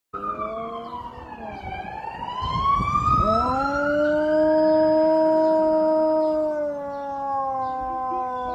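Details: A Siberian Husky howls in reply to a fire truck siren, its voice dipping, then rising into a long sustained note. Finding: Siberian Husky.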